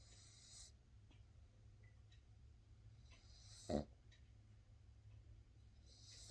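A Boston Terrier puppy snores with rough, noisy breaths about every two and a half seconds.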